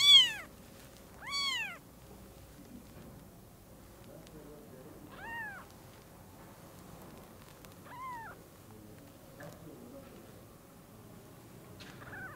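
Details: A newborn kitten at Lucky Paws calls out as it sees its mother for the first time. Two loud, sharp rising-falling mews open the sequence, followed by fainter, shorter mews spaced several seconds apart over soft room noise.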